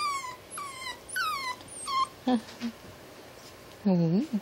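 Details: Tiny blue male miniature Dachshund at play, giving short, high, falling whimpers in quick succession, followed by a few lower, louder yelping whines near the end, over a hissy background.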